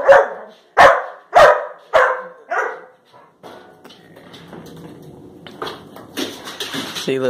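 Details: Labrador Retriever puppies Josie and Jackson jumping up for a banana held above their heads, recorded March 21, 2018; five sharp barks about every half second, then a stretch of clattering household noise.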